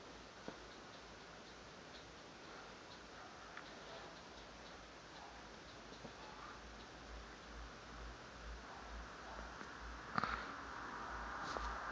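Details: Faint steady room hiss with soft irregular ticking throughout and a brief louder knock near ten seconds; no animal voice is heard.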